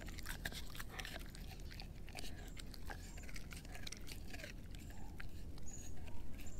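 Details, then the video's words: Soft, quieter chewing from Edu, a German Shepherd mix working on a dehydrated pig ear: a continuous patter of small clicks and crackles, getting a little louder toward the end. "Edu Eating a Dehydrated Pig Ear Dog Chew ASMR"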